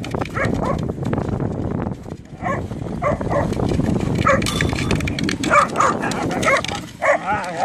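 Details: Whippets Jack and Ray playing football give short, sharp yipping barks in scattered bursts, some rising and some falling, over scuffling, thumping play noise and a few human voices.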